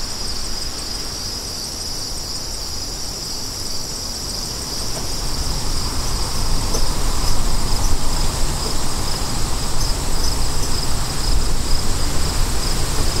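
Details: Crickets chirping in a steady, high, continuous trill, set beneath a strong, rushing wind that swells louder in the second half.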